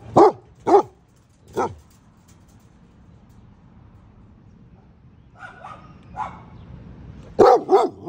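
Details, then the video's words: Basset hound, one of two pet basset hounds, giving deep single barks: three at the start, a long quiet pause with faint sounds, then a closely spaced pair of loud barks at the end. "basset hound"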